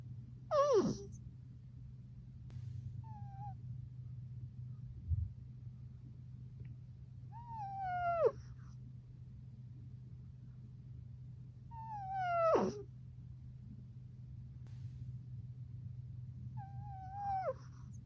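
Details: Sleeping Exotic Shorthair cat named Shishamo snoring indoors, four wheezy, whistled breaths recurring roughly every four to five seconds, some ending in steep downward sweeps, with a constant low background hum throughout.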